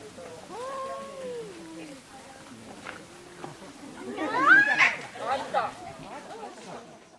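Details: Quarrelling household cats: a couple of falling, moaning yowls open, then a quieter pause before a harsh, noisy outburst with a sharp rising squeal and scratchy spitting sounds that fade away.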